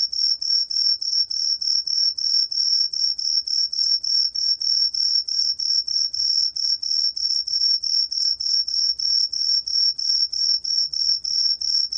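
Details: Truljalia hibinonis cricket, 2020 recording from Korea's National Institute of Biological Resources, sings a shrill, even chain of short pulsed chirps, roughly three a second, steady throughout against a near-silent background.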